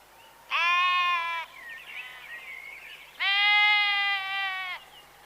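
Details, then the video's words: Two drawn-out, vibrato-laden bleats from a farm herbivore (sheep, goat or ram named), each over a second long, with a faint, thinner bleating call heard between them. "Herbivores : Horse, Hare, Camel, Sheep, Goat, Ram - Sound animals"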